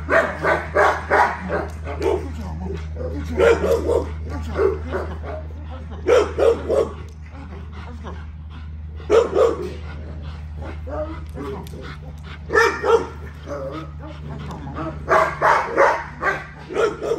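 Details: Female XL American Bully barking during daily exercise: clusters of sharp, rapid barks in bursts separated by short pauses, with a man talking in between and a steady low hum underneath.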